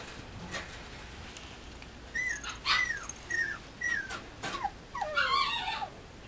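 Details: Female mame shiba puppy from a breeder, giving a run of thin, high whimpers and squeaks, each briefly rising then sliding down, clustered over about four seconds against a quiet hiss.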